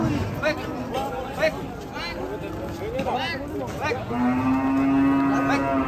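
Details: Raging cattle running loose: overlapping mooing calls with arching, wavering tones, then a long steady low moo held from the fourth second to the end, over background music.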